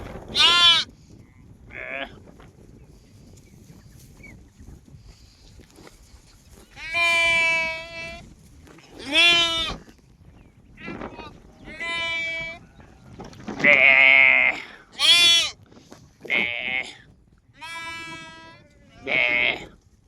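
A lamb bleats repeatedly, giving short, high, quavering baas with brief pauses between them.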